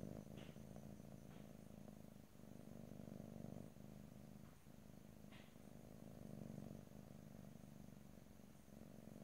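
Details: Domestic cat purring softly and steadily, a low throaty rumble rising and falling with breathing, short gaps every couple of seconds, plus a few faint ticks and rustles.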